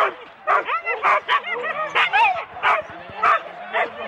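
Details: Four-dog Husky teams at a sled start, Rendlesham, January 2016, analogue cassette recording: loud separate barks roughly every half second, with thin bending whines and squeals from other dogs between them.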